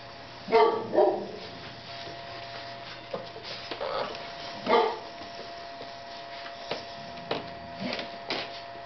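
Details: Seven-week-old Ca de Bou puppies from the parents Aqilah and Hurricane give a few short, yelping barks in scattered bursts, with quieter yips between them. A steady electrical hum runs throughout, along with light knocking noises.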